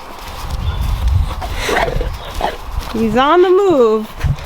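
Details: Newborn goat kid, one of the babies just born to their doe, gives a single wavering, quavering bleat of about a second near the end, preceded by rustling and low background noise.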